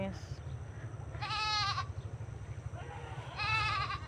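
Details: Tethered goats grazing on land next to a cultivated field: two loud, trembling, nasal bleats roughly two seconds apart, each lasting about half a second, over a constant low hum.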